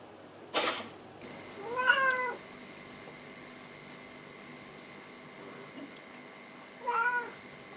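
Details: Elderly, ailing house cat, likely blind, calling indoors at home: two drawn-out, wavering meows several seconds apart, after a sharp knock, over a steady faint electronic whine.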